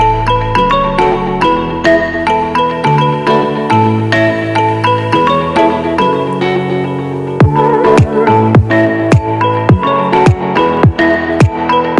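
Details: Bright mallet-percussion music, marimba and glockenspiel tones over a steady low bass pulse, fills the whole stretch with no animal sound.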